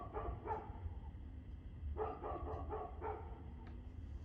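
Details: A barking dog recorded on 2 February 2024 at 6:02pm: a handful of short, rough barks spaced about half a second to a second apart, over a steady low background drone.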